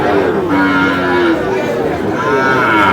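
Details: Sahiwal breed bull calves, about seven to nine months old, bought by a farmer from Dhaka: a short low moo is followed by a second, brighter lowing call, with men bargaining and a noisy crowd throughout.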